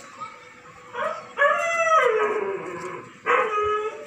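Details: German Shepherd Dog howling: long tonal wavering howls with rich harmonics, one starting near one second, a longer sustained howl from about 1.4 to 3 seconds sliding gently downward, and another beginning at 3.3 seconds.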